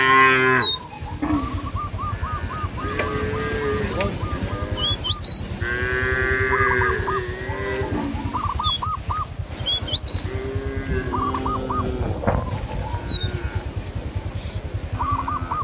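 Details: Cattle wandering in a village field, calling companions to return to the barn; several low harmonic moos overlap repeatedly amid steady background chatter, with birds chirping and whistling high above throughout.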